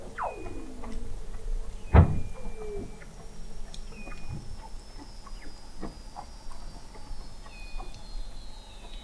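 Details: Under Antarctic sea ice in McMurdo Sound, November 2017, Weddell seals give short falling chirps and brief high tones, with one loud low thump and a faint long descending whistle in the background.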